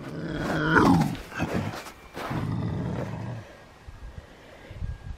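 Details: Grumpy Canada lynx in March growling while a woman nears his t-shirt: harsh rasping growl with a strained rising-falling cry near the start, then a second lower rumbling stretch, fading into quiet with faint movement.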